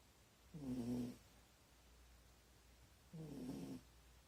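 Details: Sleeping Corgi lying in a poor position gives heavy snores: two harsh, rasping breaths with a low droning tone, about half a second each and about two and a half seconds apart. A faint steady hum sits underneath.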